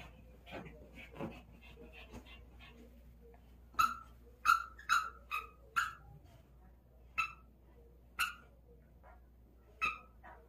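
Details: Excited dog playing with a ball, giving a series of short sharp yelps or barks spaced about a second apart, with faint murmuring and rustling between them.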